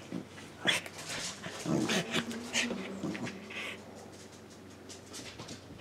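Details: ['Playful Corgi making quick whiny whimpers and breathy sounds, about two per second, loudest early on, then fading to quiet.']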